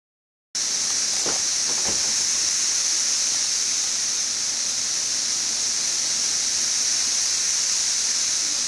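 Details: Periodical cicadas of 17-year brood XIV in central Kentucky, west side of Frankfort, June 5, 2008, about two weeks after mass emergence, on a hot, bright day: a steady, dense high-pitched hiss-like chorus with no breaks, and two faint brief clicks near the start.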